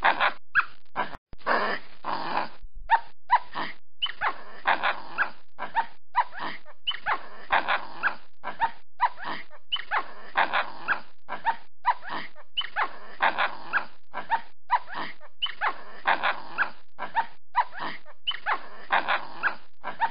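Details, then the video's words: Small capuchin monkey recorded in a tree, giving a long series of harsh, raspy bursts laced with squeaky rising and falling tones, several per second with brief pauses between runs. "Sonido de mono capuchino Monkey cappuccino"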